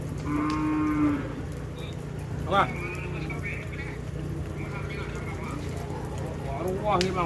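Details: Cattle at a Madura bull race ground in Asemanis, with one steady low moo followed by short wavering calls over constant crowd noise and engine hum.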